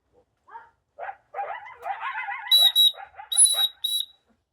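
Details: A wild coyote couple, one larger than the other, near a backyard gives a burst of rising yips and barks that climb into shrill, screechy cries; a loud dog whistle is also heard.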